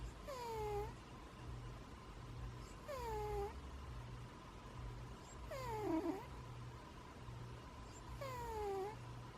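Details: A domestic cat snores in its sleep, each breath carrying a faint whistling note that falls in pitch. The notes come about every three seconds, with a constant low electrical hum underneath.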